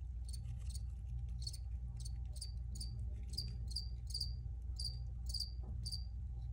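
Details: Crickets recorded as an original take, chirping in short bright pulses high in pitch, repeated roughly every half second in a loose rhythm, over a steady low hum and background rumble.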